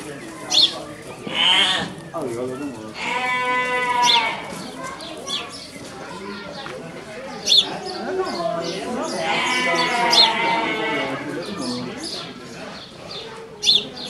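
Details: Small Ouessant sheep, ewes with lambs born in March and April, moving into their shed at a children's zoo in Zürich, Switzerland, 13 April 2019: wavering, nasal bleats rise and fall twice amid close human chatter.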